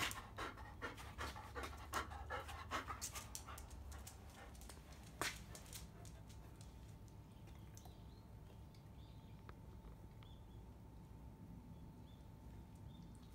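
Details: Field-line Labrador Retriever around a mating: rhythmic panting breaths roughly every half second for the first five seconds, then fading to quiet breathing over a steady low hum.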